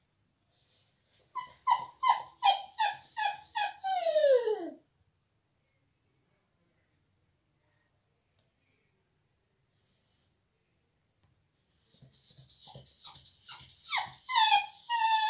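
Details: Dog crying because it is not allowed into the salon while a visitor is there: rapid bursts of high, pulsed whimpers ending in a long falling whine, a pause of near silence, then the whimpering starts again, thin and insistent.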